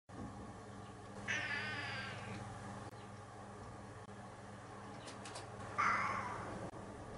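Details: A domestic cat that meows a lot gives two drawn-out, harmonic meows about four seconds apart. The first is long and wavering, and the second is shorter. A low, steady indoor hum runs underneath.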